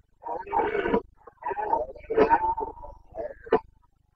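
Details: Carpathian red deer stag roaring during the rut in the Bucovina mountains, Romania, 29 September 2022; several hoarse, harmonic-rich bellows of about a second each, broken by short pauses, with no other sounds present.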